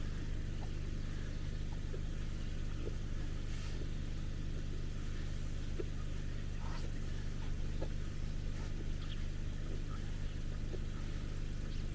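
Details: A steady low vehicle engine rumble idles throughout, with no clear animal voice. Only faint scattered ticks and clicks sit above the drone.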